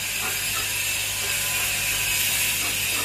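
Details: Steady mechanical ratcheting and clicking noise with a low electrical hum, and no animal voice.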